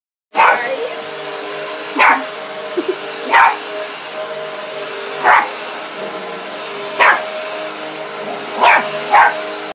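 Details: Bea, a pet dog, barking at a running vacuum cleaner: sharp single barks repeated every one to two seconds, about seven in all, over a steady high-pitched motor whine and hum.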